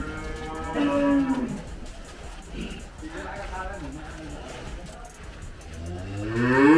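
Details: F1 Gama cow, a Belgian Blue x Brahman cross and mother of two calves, hard to handle while being weighed; one deep harmonic moo near the start, then another rising moo at the end over a noisy background.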